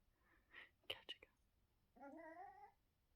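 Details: Chihuahua growling softly in a threatening way while its owner eats and tells it no; whispered speech and clicks come first, then a brief, rising, buzzy growl.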